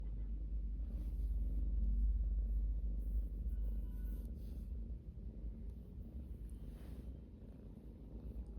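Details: A cat purring, a steady low rumbling purr held throughout with a gentle swell in loudness near two seconds, a faint thin tone briefly above it.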